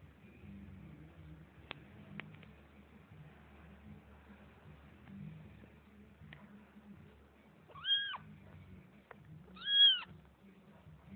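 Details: Domestic cats indoors giving two short, high meows late on, each an arched tone falling at the end, against a quiet room with faint low hum and a few soft clicks.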